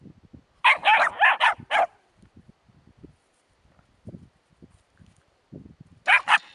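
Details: Puppies with a hedgehog: a rapid series of five shrill yaps, then quiet scuffling and soft thuds, ending with another burst of high yapping barks.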